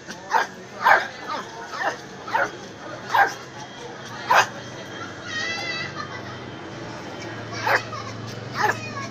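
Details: Miniature Pinscher barking: sharp, short, high barks in an irregular series, about ten over nine seconds, with a pause in the middle where a softer voice-like sound is heard.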